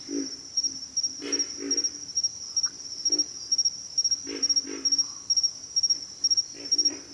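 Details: Pig frogs giving low, rough grunts, singly and in short runs of two or three, spaced irregularly over seven seconds, beneath a steady high-pitched insect trill that pulses in quick triplets throughout.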